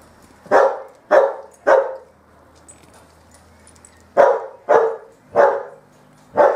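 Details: Bearded Collie puppies from the M litter playing on a roof terrace, giving sharp, loud barks in two bursts: three quick yaps, a pause of about two seconds, then four more, each a bright broadband bark.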